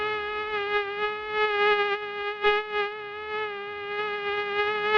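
A mosquito hums with a continuous high-pitched whine, holding an almost even tone throughout. The buzz swells and fades slightly in loudness as the insect moves, with no other sounds present.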